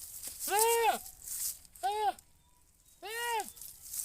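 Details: Goat giving three loud, wavering bleats about a second apart, each rising then falling in a nasal arch, with a quiet outdoor background between calls.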